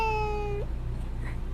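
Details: Tiny cat lets out a clear, drawn-out meow, level and rich in overtones, ending in a brief upward flick, over a constant low electrical hum in a quiet indoor setting.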